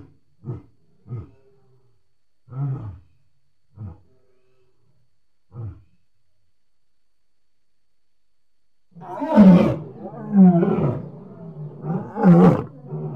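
A lion starts with a series of short, low grunts spaced a second or two apart. It then builds into loud, deep, throaty roars that rumble and overlap.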